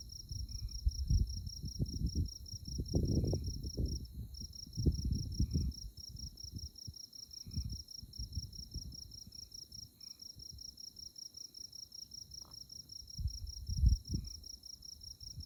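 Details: Moonlit tallgrass prairie at Konza Prairie Biological Station, Kansas, with insects chirping in a continuous high, fast-pulsed trill, a brief gap near the fourth second, and gusty low wind noise rising and falling beneath.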